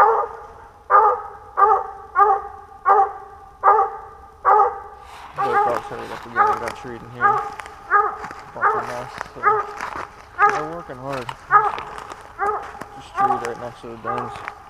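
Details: Pennsylvania squirrel dog, 2021 hunting series day four, barks in a steady rhythm about once per second; after five seconds a man starts talking over the continuing barks.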